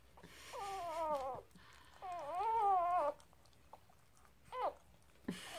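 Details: Newborn Blue Heeler puppies, two days old, from a litter of five born on a Sunday morning: two long arching whines of about a second each, then two short rising squeaks, with brief pauses between them.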